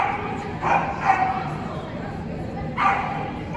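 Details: Dog at a New Year event held in an indoor arena on 26 December 2021, giving three short, sharp barks, two close together near the start and one a second and a half later, over steady hall chatter and voices.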